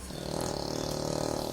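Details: Sleeping English Bulldog snoring: a steady, low, buzzy rattle of fast regular pulses that swells and holds through one long breath, with a faint background hiss.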